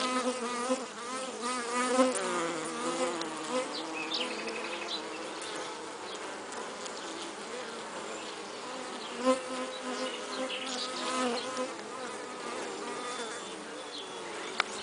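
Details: Western honey bee with a pollen load, a buzzing hum whose pitch wobbles and bends early on, then settles into a steadier drone with occasional soft knocks and one sharp tap at the end.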